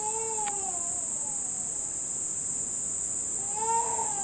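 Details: First cicadas of the summer in Nishinomiya, Japan, as the rainy season nears its end: a continuous, high-pitched droning buzz holds steady the whole time, with a baby's cry at the start and again near the end.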